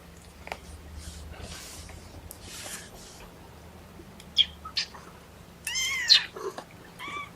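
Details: Kittens from a litter of four, three boys and one girl, protest being pottied before weighing indoors: short, high squeaky mews come in a quick cluster, the last one a wavering cry, over soft room noise.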